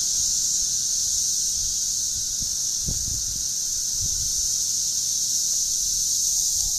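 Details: Cicadas: a loud, steady, unbroken high buzzing drone that holds at the same pitch and volume throughout, with faint low rustles underneath.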